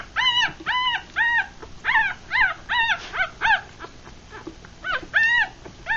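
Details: Three-day-old puppies from a Rat Terrier mother and Chihuahua father, eyes still closed, feeding; rapid high whining squeaks in quick clusters, a brief lull near the fourth second, then two more cries.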